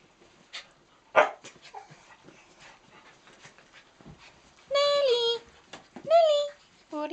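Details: Four pet dogs play together on Nellie the miniature dachshund's third birthday: Nellie, brown cocker spaniel Rosie, miniature dachshund Mrs Moo and blue roan cocker spaniel Lucy. Two loud, drawn-out tonal whines rise and then fall, amid thumps, scuffles and a woman calling to the dogs.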